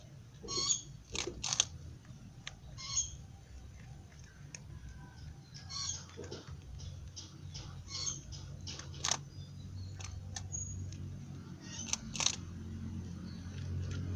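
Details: A pet rabbit eating in Ubud, Bali, chews with sharp, irregular crunches like someone biting into crisp crackers.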